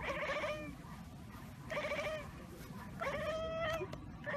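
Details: A house cat chatters on seeing prey, a bird or insect, that it cannot get to: three drawn-out, warbling calls with a trembling, pulsed quality, each lasting under a second and spaced roughly a second apart.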